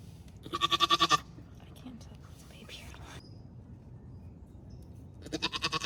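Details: Nigerian Dwarf dairy goat doe Maggie in labour with her first kidding, delivering twins on a Northern California farm; two loud, quavering, rapidly pulsed bleats, one near the start and one at the end, with soft breathy sounds between.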